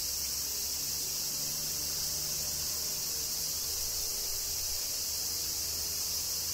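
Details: Steady high shimmering song of cicadas in Kyoto, Japan, amid summer rain, with a faint low hum underneath the constant insect drone.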